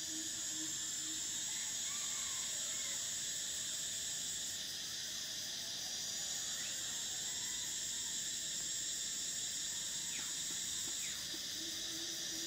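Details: Cicadas in summer producing a constant high, hissing drone that eases and swells in steps, with faint chirps and a few short rising whistles of other creatures underneath.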